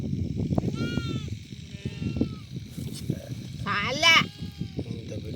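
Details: Sheep with an eye ailment that leaves it unable to see, during treatment: a brief quavering bleat near the start, then a louder wavering bleat around four seconds, over constant human talk and background music.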